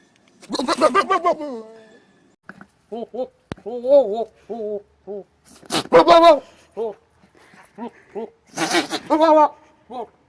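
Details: Goats give loud, wavering, human-like bleats, with shorter nasal calls repeated in between.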